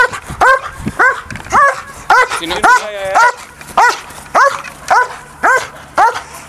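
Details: A DDR German Shepherd in an early bite-training session with an agitator barks steadily, with about eleven harmonic barks roughly every half second and a brief whine in the middle.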